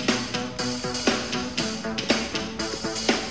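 Only plucked guitar-like music with light percussion is heard, with no animal voice.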